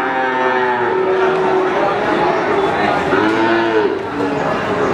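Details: Cattle mooing at Pasar Sapi Wagenan, a livestock market in Pati, Indonesia. Several overlapping low, tonal lowing calls rise and fall, set against a dense wash of market noise and voices.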